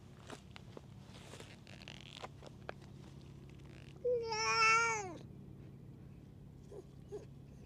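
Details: Stray cat, a rough street tom lashing out at other cats, gives one loud drawn-out meow of about a second, rising then falling, after scattered rustling and light clicks; quiet outdoor background hum.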